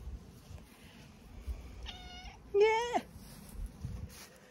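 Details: A cat on a farm in County Kilkenny, Ireland, meowing on a sunny afternoon after a morning of pouring rain: two short, clear, falling meows about half a second apart, over quiet background noise and a voice.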